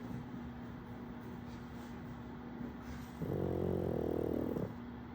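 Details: Snore from KingPug the pug, with puppy Wolverine playing in the background: a steady low hum, then a single harsh, rattling snore lasting about a second and a half before the hum returns.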